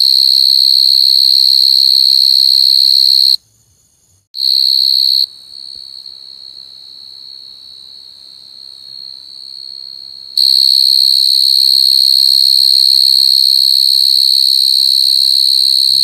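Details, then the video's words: Crying coconut crickets: a loud, high, continuous trill that stops abruptly, returns briefly, carries on more softly for several seconds, then resumes at full strength. "Crying coconut crickets សត្វចង្រិតដូងយំ"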